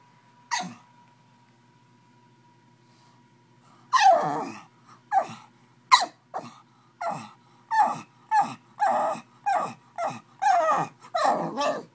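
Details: An angry pug straining to get to a bottle gives one whiny cry, then after a three-second gap a rapid run of about eleven short, loud, falling yelps roughly every half second, over a faint steady hum.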